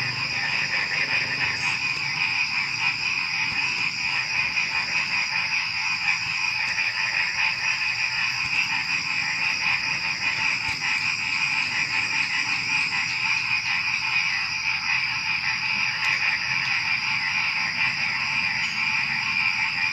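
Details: Before dawn, many frogs call together in an unbroken, evenly pulsing chorus. A steady high-pitched cricket drone runs throughout, with no other sounds rising above the mass of small night animals.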